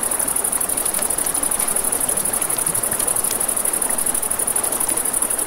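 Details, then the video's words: Nighttime riverside crickets give a continuous shrill, rapidly pulsing drone. Beneath it a flowing river and a campfire make a dense, even hiss, with faint soft pops from the flames. "Crackling Fire, Crickets, Ambient Nature Sounds"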